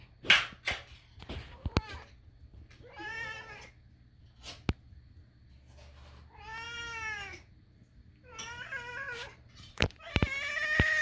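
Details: Four strained, drawn-out kitten meows with a bending pitch, spaced a second or two apart, among loud knocks and taps at the start and end.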